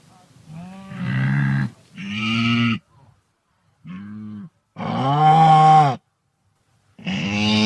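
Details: Five loud, moo-like nasal calls from a wildebeest, spaced by silences. One long call swells and falls in tone near the middle, and the rest are shorter, steady honks.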